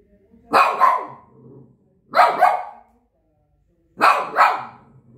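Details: A Shih Tzu gives three double barks, each a quick pair of sharp yaps, repeated roughly every one and a half to two seconds against a quiet background.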